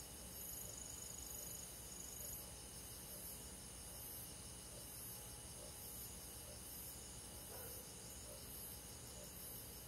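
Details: Crickets and other insects on a summer night in a forest, a steady high, finely pulsed shimmering chorus of many callers that never pauses, over a soft constant hiss.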